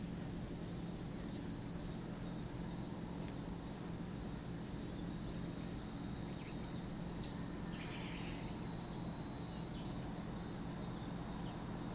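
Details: Cicadas singing at Lake Kamo, Sado City, Niigata Prefecture, Japan: an even, piercing electric-sounding drone, steady in loudness, with a faint short lower sound midway.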